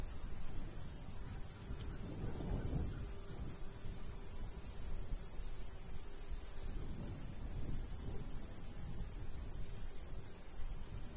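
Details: Summer countryside with a golden wheat field: a cricket repeats bright, high chirps at a quick, even pace, several per second, over soft gusts of light breeze that rise twice.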